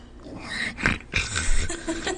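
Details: Four-month-old miniature schnauzer puppy indoors beside the microphone, making the funny mouth sounds that are her way of talking: short grunting, snuffling bursts mixed with soft knocks as she bumps the microphone.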